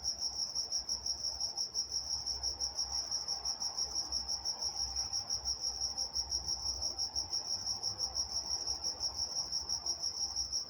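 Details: Nocturnal cricket chorus from Walnut, California, a high steady trill pulsing around three times per second, with a faint mid-pitched hum drifting in the background.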